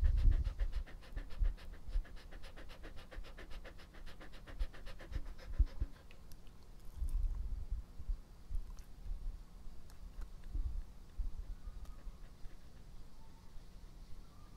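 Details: Pet dog Epo-chan panting rapidly for the first six seconds, then the breaths fade into quieter stretches broken by low thuds and soft mouth noises, recorded close up for ASMR.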